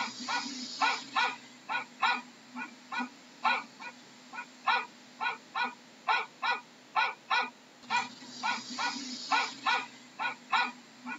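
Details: Continuous dog barking, roughly two dozen brief, punchy barks at a lively pace, with patches of hissy noise at the start and in the later part.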